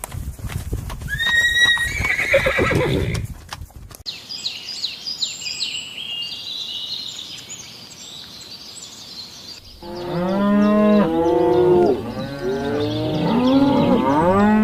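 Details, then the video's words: Horse in nature giving a loud harmonic whinny that wavers and falls over about three seconds, followed by high chirping calls and then a busy chorus of repeated arching, bleating calls from other animals. "Realistic Horse Sounds in Nature"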